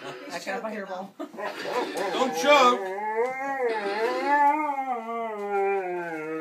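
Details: A dog sings along to piano playing in a long, wavering howl that rises and falls, after a brief stretch of mixed voices; Dog.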